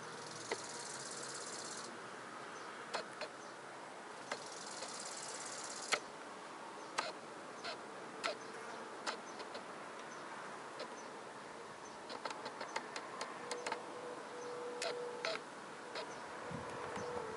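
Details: Small grasshopper stridulating: two bursts of high, dry hissing buzz near the start and around five seconds, with scattered sharp clicks and ticks throughout over a quiet, faint background hiss.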